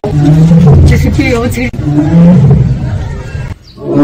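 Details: At Seoul Grand Park, a captive Siberian tiger utters two low, throaty 'aung' moans in quick succession. Human voices and crowd chatter run underneath, then it goes briefly quiet near the end.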